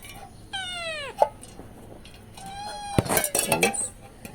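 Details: Cats screaming while waiting for milk, a loud harmonic-rich meow sliding downward, then a second drawn-out meow overlapped by clinking and a woman talking in Tamil.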